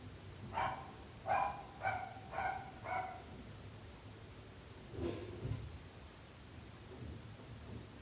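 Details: Neighbourhood dog barking persistently: five quick, sharp barks in a row, then a pause and two lower, softer barks, against a low steady background hum.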